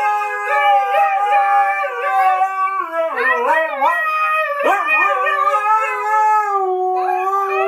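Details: A pet husky gives a sustained, bending howl. The pitch holds, dips and yodels upward in the middle, then settles back into a long, steady, ringing note.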